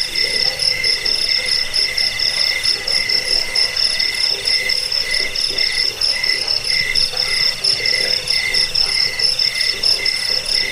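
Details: Several crickets trill together in a recording meant to drive off rats and help with sleep and bird training; bright, high pulsed chirps form layered bands with a faint lower pulsing beneath, unbroken throughout.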